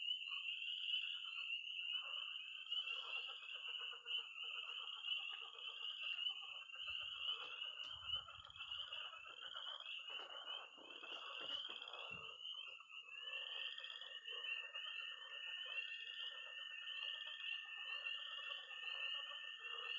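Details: Frogs and toads calling from a Missouri pond on an early spring night. Shrill tree frog peeping runs without a break, layered over rough, rattling croaks. A steady, high trill joins partway through.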